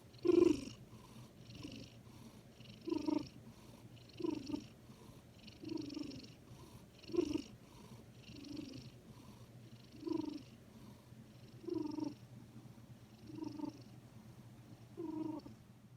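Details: A sleeping domestic cat makes soft sounds as it dozes, perhaps snoring. Rhythmic, raspy breathy bursts come roughly every one and a half seconds, about eleven in all, over a faint steady low hum in a quiet room.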